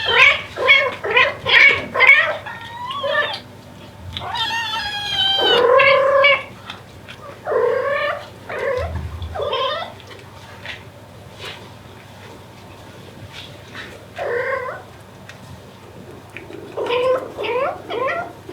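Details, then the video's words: Mother Devon Rex cat calling for her kittens indoors: a fast run of short, rising meows, then a long wavering drawn-out wail with rich harmonics, followed by scattered bursts of repeated meows with quiet pauses between them. "Incredible Mother Cat Calling For Her Kittens. Cat Sound Effect"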